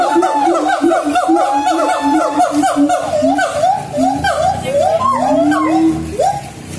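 Siamang song: loud, rapid series of rising and falling whooping notes, several voices overlapping.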